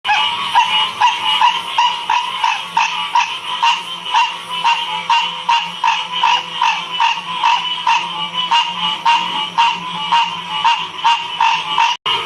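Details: A frog chorus recorded in Ocean Springs, Mississippi, in 2016: rapid, pulsing calls repeating about three times per second.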